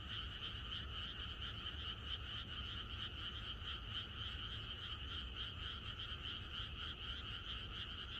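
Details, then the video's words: Countryside frogs calling together at night ahead of rain: an unbroken massed croaking, rapidly pulsed and even in loudness, over a faint low background hum. "개구리들의 합창"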